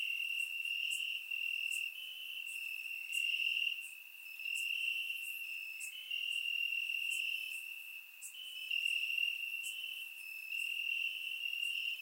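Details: Summer-night chorus of crickets in Bulgarian grassland, recorded in surround sound: continuous high-pitched trilling with gentle swells in loudness and scattered crisp chirps layered above, no other sounds evident.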